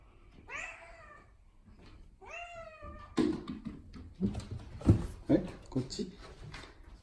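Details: Pet cat Odeko appealing for something with two quick, bright meows in the first seconds, each curving down slightly; then a person's questioning voice and thumps and clatter indoors.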